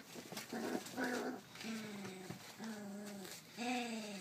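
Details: Young Rough Collie pup, 33 days old, filmed 28 July 2012, voices drawn-out, slightly falling whiny growls, each under a second long, separated by brief pauses in a quiet room.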